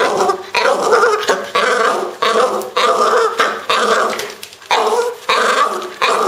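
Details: French Bulldog named Pro, a household pet, making odd sounds: long rough, grumbling growls held for a second or more each, loud and raspy, broken by short breaths.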